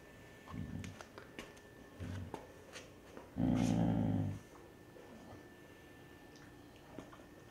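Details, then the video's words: Indoors, a Basset Hound mom watching over her pups growls once at an approaching older dog, a single harsh low rumble of about one second between soft faint grumbles and small movement noises. "Basset Hound Mom Protects Pups from Grandpa!"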